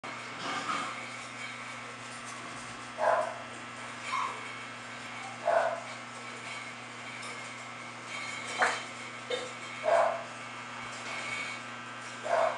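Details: English Bulldog from a Florida kennel, with dogs named Salma, Thalia and Cristobal. Short mid-pitched barks come at irregular intervals, about eight in twelve seconds, over a steady low mechanical hum.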